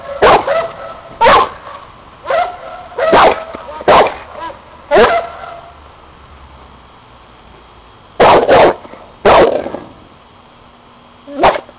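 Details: A seven-year-old bandog Cane Corso barks during protection testing against a helper wearing a hidden sleeve: single harsh barks spaced about a second apart, a quiet pause midway, then a fresh cluster and a final bark.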